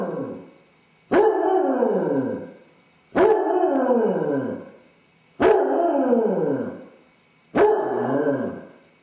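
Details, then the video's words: Male basset hound howling from separation anxiety when left alone indoors, filmed by a household camera; four steady, evenly spaced mournful howls roughly every two seconds, each bursting loud then sliding down in pitch and fading. "Basset hound suffers separation anxiety! Dog howling"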